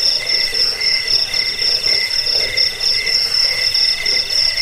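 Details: Cricket chirping meant to repel rats, soothe sleep and serve as a training model for birds; bright, rapidly pulsed high notes repeating about four times a second, other insects and faint murmur behind.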